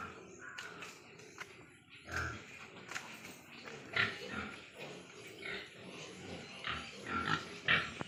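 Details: Large White Yorkshire pigs on a pig farm in Nadia, West Bengal: irregular short grunts and squeals in a noisy shed, bursts every second or so over a constant background hum.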